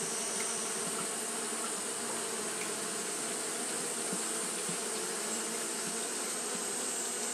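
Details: Japanese honey bees fanning continuously on a hot day: a dense, steady hum with low droning bands and a broad hiss above, unbroken throughout, with a thin, constant high-pitched whine running across the top.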